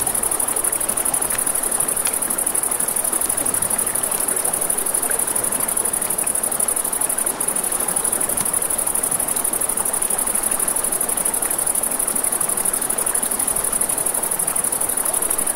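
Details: Riverside crickets chirp through the night in a long, unchanging, rapidly throbbing high tone, backed by a steady roar of moving water and scattered faint pops from a campfire.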